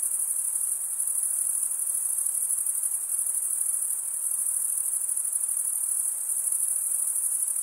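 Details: Crickets stridulating, males rubbing one wing's toothed vein against the other; a dense, unbroken high-pitched shimmering trill holds steady throughout with no pauses and no other sounds.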